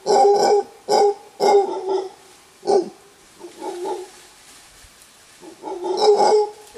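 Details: Warning roar of an alpha male mantled howler monkey among a big wild troop in Costa Rican bamboo forest: short gruff bursts, then a quieter drawn-out hoarse moan, ending with another loud rasping roar.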